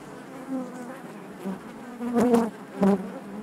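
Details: Honey bees buzzing inside their hive: a dense, steady low hum with layered harmonic bands, swelling into louder bursts as individual bees pass close around two and three seconds.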